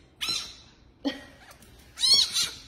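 A fennec fox gives three shrill, raspy squawks, each a high scratchy burst with brief pauses between.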